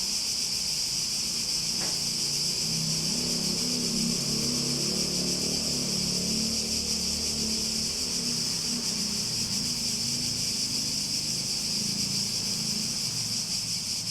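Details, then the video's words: Cicada chorus from a relaxing nature soundscape, a continuous shrill high-pitched buzz that never lets up, over a soft low hum and murmuring background. "Relaxing Sounds With Cicadas"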